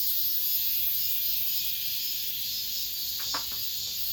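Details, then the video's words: Cicadas at the end of summer within an apartment complex, a steady, dense, high-pitched hissing buzz that never breaks, with a brief short chirp near the end. "올 여름 마지막 매미소리, 아파트 단지 내"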